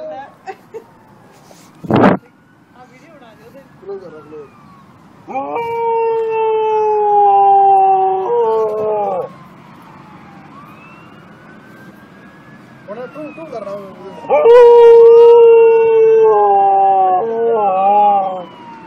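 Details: Siberian Husky howling in two long, steady bouts of about three seconds each. The second starts higher and steps downward. Faint yips and talk-like sounds fill the quieter stretches between them.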